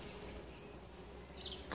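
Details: In a back garden in summer, a tree full of bumblebees gives a soft, steady, low hum that drones on, ending in a sudden louder rustle.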